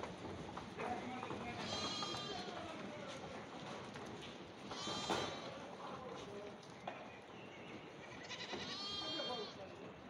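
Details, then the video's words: Young goats clambering on rocks in Greece give three quavering, nasal bleats spaced a few seconds apart, the middle one short and bright, amid steady rustling background noise. "Goat Kids on Rocks"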